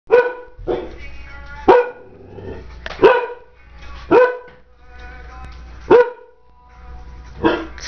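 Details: Bullador puppy named Magnum barks at a light indoors for no known reason: six sharp, loud barks spaced roughly one to one and a half seconds apart, each with a brief harmonic ring, with soft sounds between them.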